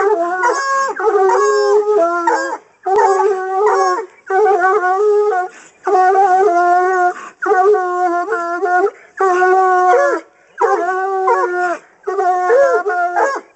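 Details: Several Coonhounds trained for hunting give loud baying at a caged raccoon, the raccoon later released; sustained, wavering harmonic howls come in steady bursts of about a second or more, separated by brief silences.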